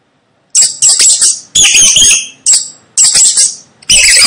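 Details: A rat gives loud, shrill squeaks in a run of harsh bursts under a second each, at night on a house roof.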